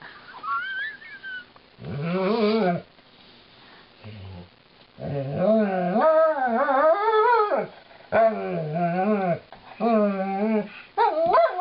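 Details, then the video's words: Female Alaskan Malamute sings a mournful song of woe while being brushed by her owners: long wavering, yodelling howls rising and falling in pitch, several phrases broken by short pauses, with a brief low groan between. ""Lightning" Sings the Brushin' Me Blues"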